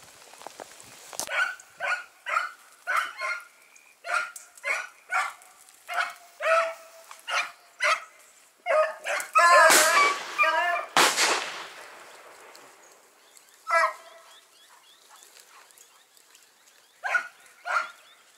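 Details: Dachshunds on a driven fox hunt in Victoria, 23 July 2017: high, yelping barks come in quick runs of about two per second, with a loud harsh burst near the middle, then sparse barks after a pause.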